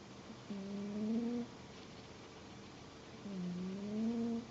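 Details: Domestic cat snoring indoors, two drawn-out, whistle-like tonal snores of about a second each, low and slightly rising with a lift at the end, separated by a quiet pause; faint room hiss underneath.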